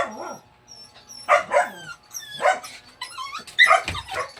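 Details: A dog giving short yipping barks and whines in quick uneven succession, with a low wavering whine at the start and high thin tones between the calls.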